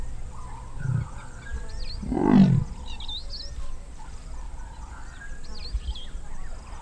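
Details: Large male leopard in the wild at Moremi Game Reserve, Botswana, calling repeatedly while scent marking before a female joins him; a single deep rasping grunt midway, preceded by a softer low note, with birds chirping behind.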